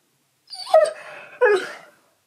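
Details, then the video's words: Pet male Husky indoors, vocally arguing with his owner about how much food he should get. Two drawn-out, wavering whine-howl phrases, the first sliding down and the second rising then falling, separated by a short gap, in a quiet room. "Arguing With My Husky About How Much Food He Should Have!"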